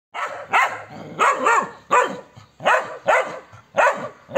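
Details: Aggressive German Shepherd x Belgian Malinois cross (Shepinois) barking: loud, harsh bark bursts repeated roughly every half second to second, each rough and broad with a short falling tail, in rapid succession.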